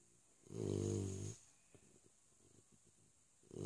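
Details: Sleeping three-month-old Labrador puppy giving a single low, rumbling snore lasting almost a second, then faint soft breathing and the start of another snore at the end.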